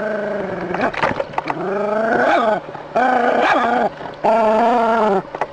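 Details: A dog squaring off against a snake produces long, tense, tonal cries that dip and rise. There are four main calls, one roughly every second, with rough bursts in between.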